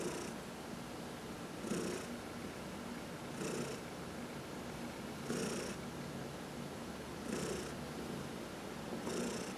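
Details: Indoor cat purring as it is massaged, from a household of four cats. A rhythmic purr rises and falls with breathing nearly every two seconds, each swell paired with a short airy brushing sound.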